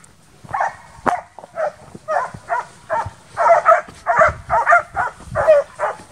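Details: Young Transylvanian Hounds at intensive summer wild boar hunting training bark steadily, about a dozen loud, ringing barks, some overlapping as several dogs call at once, growing louder and denser toward the end.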